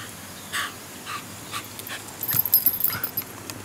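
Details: Shiba Inu in a morning garden, one of a family group of four Shibas; a few short, soft whimpering yelps about half a second apart, then a quicker cluster of faint yips, over steady outdoor background hiss.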